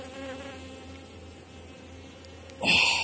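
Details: Honey bees swarming over a heavy widened Warsaw frame of honey and capped brood, a very strong colony late in the season. A steady low hum, then a loud, harsher rush of noise during the final half second.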